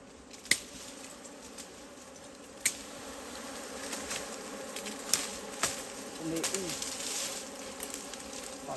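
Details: Wild forest honeybees droning steadily in a low hum, with sharp taps near the start and middle and a passing bee whose pitch swoops up and down near the end.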